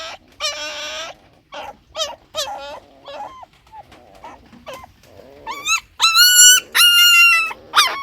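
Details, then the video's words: Puppy cries: softer, choppy whimpers and short yips at first, then loud, sustained high whines near the end. Faint lower squeaks can be heard underneath. "Puppy Crying Sound Effect"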